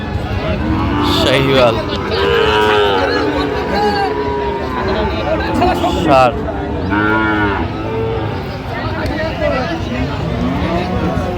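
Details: At a Brahmanbaria livestock market in Bangladesh, 19 December 2025, Sahiwal bull calves low repeatedly. Wavering, rising-then-falling moos overlap one another, set against a constant murmur of people talking and bustling market background.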